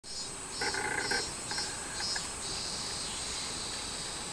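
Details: Robust cicada (minmin-zemi) recorded on 24 July 2016, singing in short, buzzy, tonal bursts over a steady high shrill of insects.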